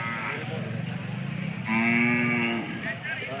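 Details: Hallikar cattle at the large Jodugatte cattle market in Turuvekere taluk. One loud, steady, low moo lasts about a second midway, with people talking around it before and after.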